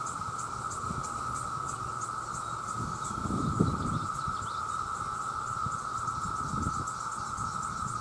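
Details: Millions of male cicadas calling for mates in a loud chorus: a steady, unbroken droning whine with a faint rapid shimmering pulse above it, and a few low thuds and rustles in the background.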